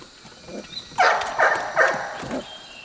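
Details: Golden Retriever puppies, 4½ weeks old, romp on a slippery deck and give a quick series of short, rough play yips and squeals.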